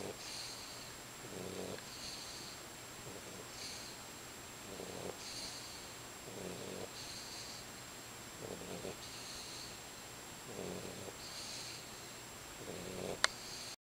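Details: Sleeping 12-week-old white Boxer puppy, female, under a blanket, gives gentle rhythmic snores, each a short raspy breath roughly every two seconds, against constant background hum; a brief click near the end.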